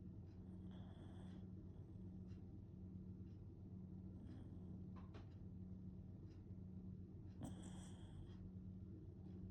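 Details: Sleeping Shiba Inu named Kotetsu, a long-time heavy snorer; soft hissing snore breaths near the start and a stronger rasping one late, separated by quiet stretches with faint clicks and a constant low hum.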